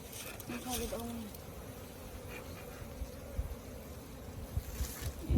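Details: Continuous low hum of honey bees swarming around hives opened for their honey, with a brief human voice near the start and faint bumps and handling noises toward the end.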